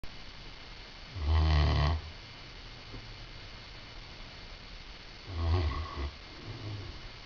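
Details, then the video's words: Great Dane snoring while napping indoors: two deep, rasping snores, each lasting under a second and about four seconds apart, with quiet breathing between them. "Great Dane Snoring"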